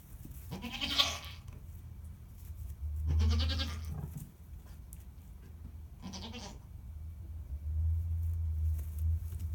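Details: Young goats giving three quavering bleats, each about a second long, separated by pauses, over a constant low hum.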